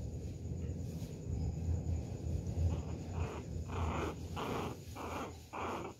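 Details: A pinscher puppy pesters a poodle with a quick series of sharp, harsh barks over a low rumbling background.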